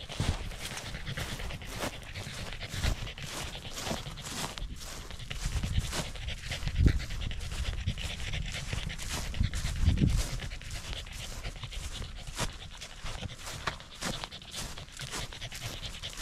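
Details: Rapid, even panting from a corgi enjoying a sunny hike on a rural mountain overlooking the central Japanese Alps and Ina Valley, with breathy puffs running through the whole stretch and a couple of louder thumps midway.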